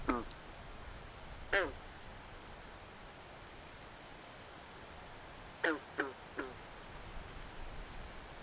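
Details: Swamp frogs at night: two isolated grating croaks early on, then a quick run of three rasping quacks after a long pause, over a noisy, hissing backdrop.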